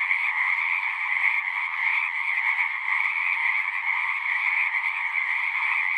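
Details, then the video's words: Frogs calling in chorus at a horse-pasture pond, taken with a Zoom recorder; countless high, pulsing trills blend into one constant ringing wall of sound that swells slightly at times. "Frogs singing"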